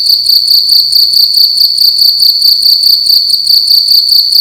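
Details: A cricket making loud noise in a room at night, its sharp high chirps coming in fast, even pulses, roughly two or three each second, in a brief unbroken run.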